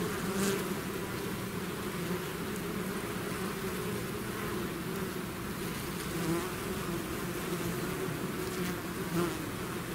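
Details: Swarming bees leaving their hive make a continuous humming drone. Faint pitch wobbles drift in and out as individual bees pass closer, over an unbroken layered buzz.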